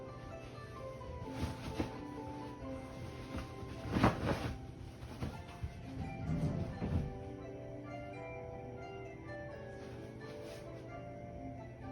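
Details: Soft background music plays over an indoor room tone with a few dull thumps, and no animal voice is heard.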